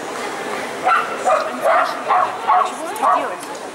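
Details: Poodle Lyalya competing in a qualifying round at the CACAG "Zooshow in Gavan" show, ring A3, 29 March 2015: six sharp, evenly spaced barks roughly every 0.4 seconds over a murmur of people talking indoors.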